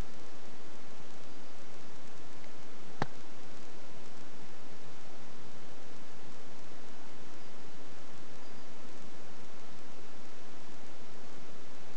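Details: Steady low hiss and rumble with a single sharp click; no animal call is heard.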